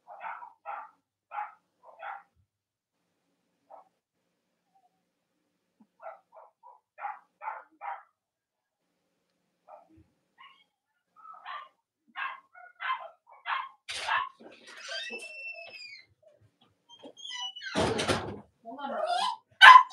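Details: Cavalier King Charles Spaniel puppies from the litters of Robin and Myra, filmed on a chilly Monday morning near Halloween in the US. They give bursts of short repeated yips, then longer squealing whines that bend up and down. A sharp broadband knock follows.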